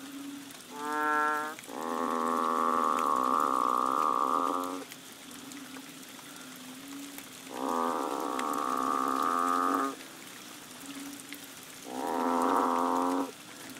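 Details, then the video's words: Banded bullfrogs in a chorus behind a bungalow on Koh Lanta, Thailand, during the March rains: long droning moo-like calls of one to three seconds, overlapping and alternating, with a short higher note first and a steady low hum beneath. "The Amazing Moo Frogs of Koh Lanta!"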